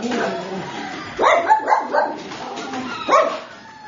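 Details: Red tri female Miniature Australian Shepherd puppy barking: four quick barks in a row, then a single bark a second later. Low murmuring sounds are heard before them.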